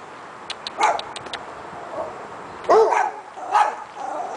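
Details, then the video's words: Dogs barking: a few short, sharp barks in separate bursts, one loud rough bark near the middle, with faint clicks early on. "dogs barking"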